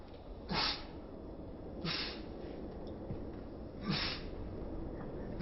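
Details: Chibi-chan, an outdoor-loving cat with a cat cold, in a run of fifteen sneezes: three sharp, breathy bursts at roughly one- to two-second gaps, indoors in a quiet room.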